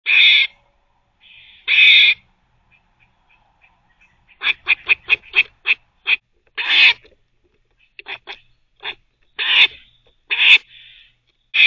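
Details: A squirrel gives harsh, raspy barks while teething, some drawn out and others in quick chattering runs.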